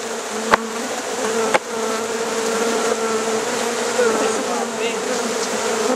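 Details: Swarm of honey bees entering a hive late at night in Rosharon: a constant, resonant droning buzz with two sharp taps early on, otherwise unbroken.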